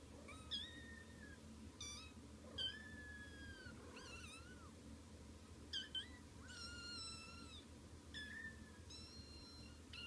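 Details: Kittens waking up indoors: many thin, high mews and squeaks, some long and sliding downward, overlapping from several kittens every second or so, over a steady low room hum.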